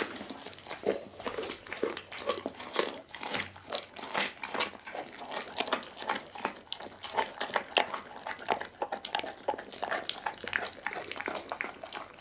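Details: Daggy the pit bull gnaws on a whole chicken inside a small room, filmed with an Insta360 ONE R. Steady, softer crunching and smacking bites repeat at a fairly even pace.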